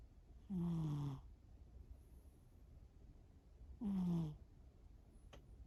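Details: Shimao, a pet cat, asleep and snoring: two long low rasping snores, each about half a second, descending slightly in pitch, about three seconds apart, with a faint click near the end.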